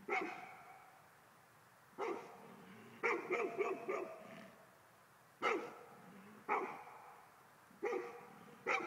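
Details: Barking by a male Golden Retriever said to react to ghosts, rich resonant woofs, some clustered in rapid runs of four, others single and spaced about a second apart, low rumble between them.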